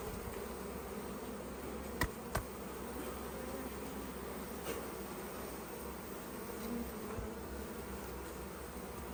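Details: Colony of honey bees buzzing continuously while their hive is opened for the honey harvest and frames are removed; an even low droning hum persists throughout, broken by a few sharp clicks of handling early on and once midway.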